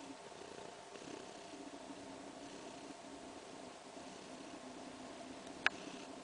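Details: Kaewe, about three weeks into pregnancy, purrs softly while resting and at ease. The quiet, even rumble pulses gently with each breath, and a single sharp tap sounds near the end.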